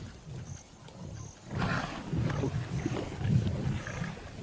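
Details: Lion from the largest pride on the West Bank of the Luangwa River, Zambia, in the morning: low rumbling grunts building after a quiet start, with faint high tones and ambient outdoor noise.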